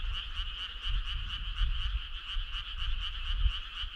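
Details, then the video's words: Frogs singing as a choir on a summer night, a bright steady trill with quick pulses several times a second, backed by a soft low rumble. "Cool frog sound"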